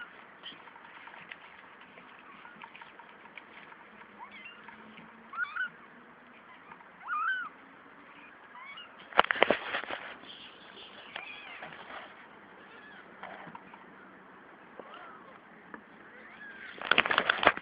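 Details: Three-week-old kittens from a litter of five, two boys and three girls, producing soft high mews at uneven intervals, partly buried under background hiss, with two loud crackling handling bursts midway and at the end.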